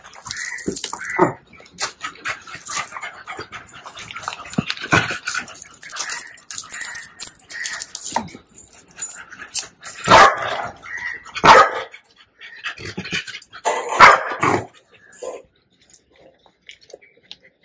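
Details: Puppy with cropped ears, one of two young mastiff-type dogs, having its ear stitches removed at home, gives high, thin whimpers and short yelps in uneven bursts, mixed with handling noises and sharp clicks.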